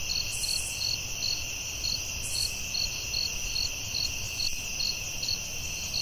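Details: Forest crickets at night: rapid, fairly even high-pitched pulses, roughly two per second, layered over a persistent shrill drone, with a brief higher buzzy burst near the start.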